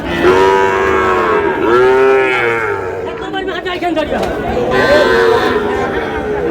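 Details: Sahiwal bull calves at a cattle market in Cox's Bazar, Bangladesh, on 14 August: drawn-out, arching moos with rich harmonics that rise and fall, repeated several times over a busy backdrop of shouting and crowd chatter.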